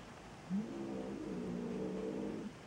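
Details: Maine Coon kittens, two days to two weeks old, at a cattery in Saint Petersburg, Russia: one drawn-out, low, wavering cry of about two seconds, opening with a brief higher squeak, over a quiet background hum.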